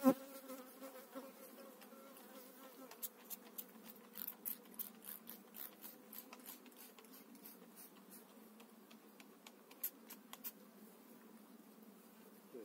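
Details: Bees from eight frames transferred to a new hive in spring 2018, brood frames being examined: a low, layered hum runs throughout, overlaid by many small clicks and scraping sounds from the frames.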